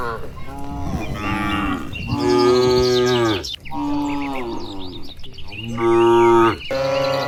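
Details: A village cattle herd in Indonesia heads home to the shed in the evening, calling to one another as they walk. Loud, long, deep moos come one after another, about four within seven seconds, some rising then falling in pitch.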